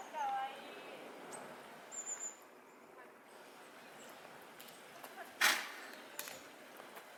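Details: Eastern black rhinoceros at Yokohama City Kanazawa Zoo giving a single sharp, explosive sneeze, a loud broadband burst. Thin bird chirps and whistles sound before and after it against a steady outdoor background hiss.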